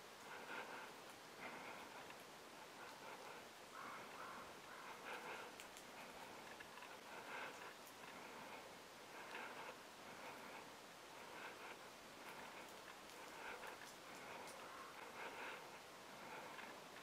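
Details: Douglas squirrel perched on a branch in northwestern California, dismantling a cone and feeding on the seeds inside: soft crackling, gnawing clicks in irregular bursts every couple of seconds over a steady background hiss.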